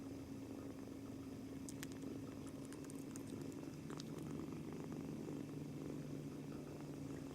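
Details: Male British Shorthair kitten, two months old, purring continuously on his first day after arriving home, seemingly tense; low steady rumble with a faint hum, plus a few brief light clicks or rustles midway.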